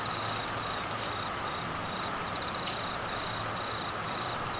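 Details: Crickets calling during Australian monsoon season rain in Queensland, a steady high trill broken into short pulsed bursts over the constant broadband hiss of heavy rainfall.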